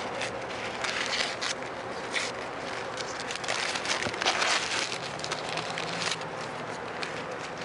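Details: Dense broadband crackling and rustling noise continues throughout, with no clear animal call or buzz standing out.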